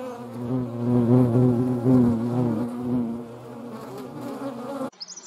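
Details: European hornet filmed alongside median wasps in the Eifel: a loud, low droning buzz with a rich stack of harmonics, swelling and fading gently for about five seconds before stopping abruptly.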